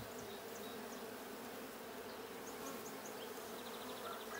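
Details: Honey bees at a blue hive during a hive check on 6/20/22: a steady, dense buzzing drone with low humming bands, while faint high chirps of small birds flick in and out above it.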